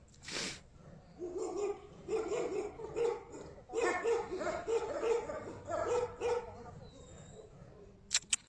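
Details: Tibetan Mastiff making quiet, rhythmic whimpering yips, short tonal pulses repeated about twice a second for several seconds, after a single breathy burst at the start and before a couple of sharp clicks at the end.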